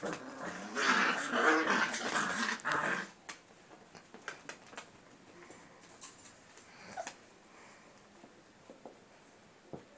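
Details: Playing English Cocker Spaniel pups indoors give a dense three-second burst of harsh growls and whimpering noise, then quieter scattered clicks and taps of movement for the rest.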